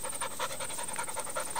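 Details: Doberman puppy, 11 months old, in rescue awaiting adoption, panting during a basic-commands training session; quick rhythmic breaths about five per second, steady throughout, with a constant high electronic whine in the background and a handler's voice nearby.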